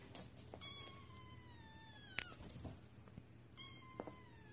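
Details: House cat meowing: a thin, drawn-out cry sliding slowly downward for about one and a half seconds, with a second similar cry starting near the end, over low hum and scattered clicks.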